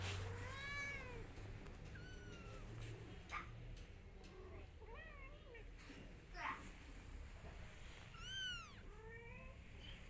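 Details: Cat mother wanting her kittens to come along; a run of clear arched meows, some wavering and bent, a few high squeaky mews toward the end, over low background hum.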